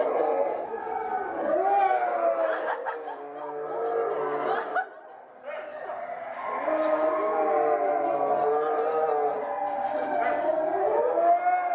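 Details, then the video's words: A Chinese wolf at Tennoji Zoo howls in long, sustained, wavering tones that slide gently in pitch. "天王寺動物園 チュウゴクオオカミユジンの遠吠え"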